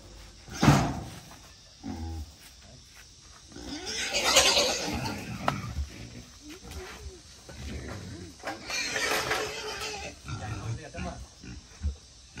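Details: Wild boar raised for 11 months on grass, vegetables and cold rice, being caught to be weighed for sale; two harsh, broadband screaming bursts several seconds apart, with people talking and handling noises between them.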